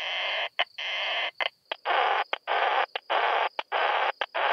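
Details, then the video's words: Isophya kraussii bush-cricket singing at Solnhofen, Germany, on 17 June 2021: a run of broad, hissing buzzy bursts about half a second long with brief gaps and a few short ticks between them, a steady tone above. "Isophya kraussii -- Gemeine Plumpschrecke"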